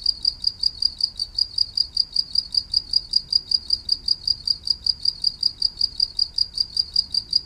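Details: Steady cricket song meant to lull a listener to rest: evenly spaced, bright, high-pitched chirps, roughly three each second, continuing unbroken through the whole stretch with only a soft low background hum.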